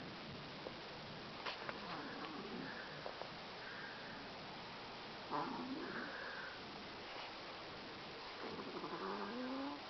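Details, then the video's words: Lazy Chihuahua snoring while asleep after a long day of sleeping: soft, breathy, hissing snores come in slow uneven waves every few seconds, with a brief rising tonal sound near the end. "Chihuahua snoring"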